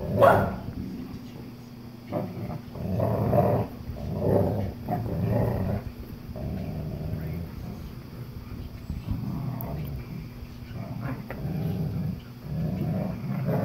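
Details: Tug of war between a young German Shepherd puppy and an English Cream Golden Retriever; a sharp yip at the start, then intermittent low growls rising and fading over background shuffling.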